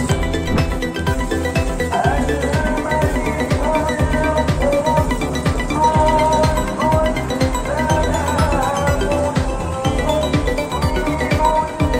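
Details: Upbeat electronic music with a steady beat plays throughout, with no animal voice heard.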